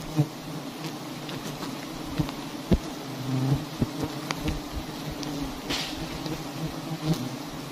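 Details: Honeybees swarm around large wild nests hanging in a tree in a palm garden during a honey harvest. Their steady low hum runs throughout, broken by sharp knocks and rustles from handling.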